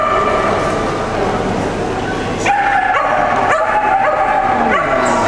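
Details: Shetland Sheepdogs, sable merle and blue merle, at an agility championship for the Americas and Caribbean in 2012; softer noisy stretch, then from 2.5 seconds loud, rapid, repeated high-pitched barks against a busy indoor background.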